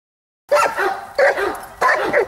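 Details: Giant Schnauzer named Bayuma, from Blackmoore, giving three loud, broad barks spaced about two-thirds of a second apart after a moment of silence.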